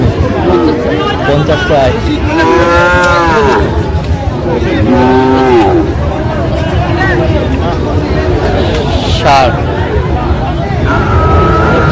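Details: Cattle at a livestock market in Shariatpur, Bangladesh, where bull calves are sold, including a six-month-old Sahiwal calf. Two long, drawn-out lowing moos, the second shorter, rise over steady crowd chatter and market noise.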